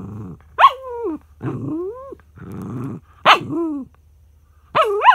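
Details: Tantrum from Charlie the dog over his son lying on the treat: loud sharp yelping whines that swoop up then down, alternating with rough growly moans, repeated in several bursts.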